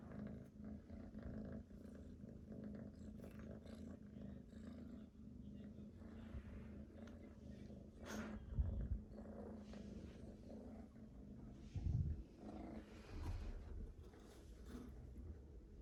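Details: Domestic cat purring continuously, a deep, even rumble that pulses slightly, with a few brief thumps and louder bursts near the middle and end.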